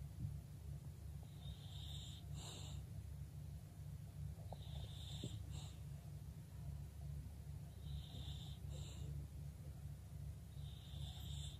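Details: A female English bulldog lies still and rests calmly, snoring with a steady low rumble and a wheezy whistle roughly every three seconds, while other dogs play in the background.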